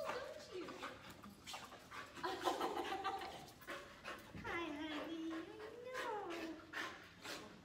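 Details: Australian Shepherd reunited with its owners, panting and letting out a long, sliding, wavering whine in the second half, mixed with people talking nearby.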